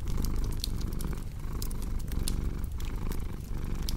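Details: Contented feline purring, a deep buzzing drone with brief breath breaks roughly each second, mixed with a cozy fireplace's crackling and sharp popping sparks for a soothing sleep ambience.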